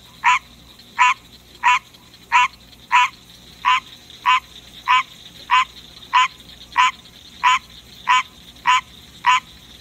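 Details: Kept male green tree frog sings at night, a long regular series of fourteen quick, raspy croaks about 0.7 seconds apart, with a soft continuous hum underneath.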